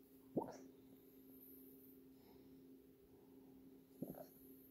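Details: Female dog barking in her sleep indoors: two soft, muffled woofs about three and a half seconds apart over a steady low hum.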